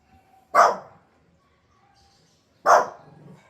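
A Pomeranian gives two sharp, high-pitched yapping barks about two seconds apart.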